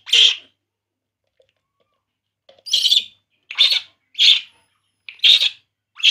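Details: Crying baby monkey drinking milk, giving one sharp high squeal, then a two-second silence, then five more piercing squeals in quick succession, about one every half second.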